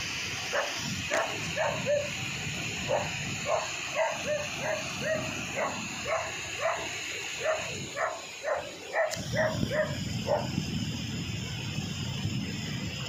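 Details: Belgian Malinois hunting buffalo, swimming; a steady run of sharp barks, roughly two per second for about nine seconds, then a brief splash-like break and continued noisy background with water and rustling.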